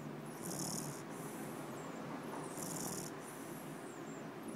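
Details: Benjamin, an 8-week-old bulldog puppy, snoring in his sleep: two breathy, hissing inhalations roughly two seconds apart over a soft, steady low background rumble.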